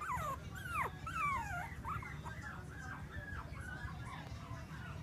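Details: Whimpering female Bichon Frise puppy from Clearwater, Florida: a few sharp, falling yelps open, then a run of shorter arched whines repeating roughly twice a second, growing softer, with constant low-pitched background hum.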